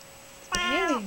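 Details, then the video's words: Hermy, a pet cat adopted as a kitten, known for loud complaining when upset, gives a single harmonic meow indoors, rising then falling, about half a second long, during treat play, with a person talking nearby. "Hermy talks"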